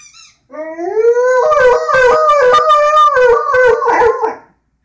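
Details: A singing Rhodesian Ridgeback lets out a drawn-out howl. It starts low, slides steadily upward, then wavers and pulses in a loud, quavering wail for about three seconds before it trails off.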